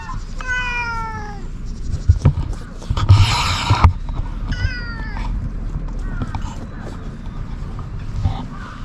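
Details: Stray community cats in Japan, filmed outdoors on a GoPro during a check on their wellbeing; several short falling meows, with low rumbling background noise and a burst of rustling.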